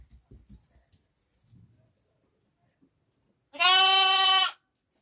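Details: Lambs: a single loud, tonal bleat with a strong harmonic stack, about one second long, steady in pitch, after a few seconds of faint low thumps and rustling.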